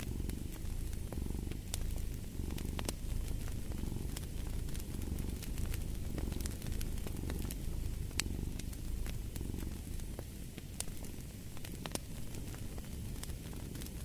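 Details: A cat purrs continuously, a dense low vibration rising and falling in gentle cycles, while scattered fireplace crackles and pops sound throughout.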